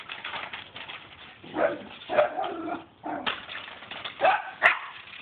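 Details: A pair of household dogs goes berserk over a swimming pool broom, letting out short, gruff barks and higher yips that rise in loud bursts about every half second to second.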